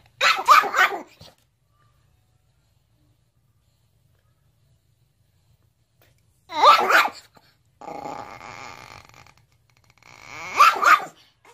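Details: Dog reacting to its reflection in a mirror, giving three harsh, growling bark bursts spaced several seconds apart, with quiet gaps between and a steady droning hum between the last two bursts.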